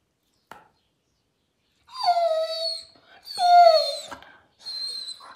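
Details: German Shepherd dog reacting to being booped on the nose, giving two drawn-out whining howls that slide downward with rich overtones, then a shorter higher whine at the end; quiet indoor background.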